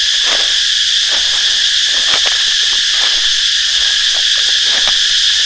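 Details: Cicadas drone loudly in a steady, high, hissing buzz that never lets up, heard in the daytime while gathering flowers near a cave in Thailand, where villagers are catching cicadas.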